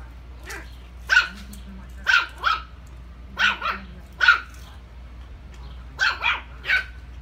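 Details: Puppy barking indoors: high, sharp yelps in short bursts, often doubled, about ten barks over seven seconds, with a low steady hum underneath.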